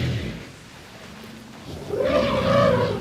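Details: African elephant, a tuskless cow, gives a low grunt then a loud, brassy, wavering trumpet of about a second: outrage at lions feeding on a buffalo kill, as if she had lost a family member.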